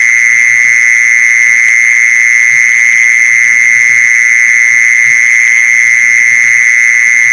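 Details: Steady, piercing mole cricket trill meant for luring mole crickets, running without a break at a fixed high pitch, with faint irregular low thumps in the background.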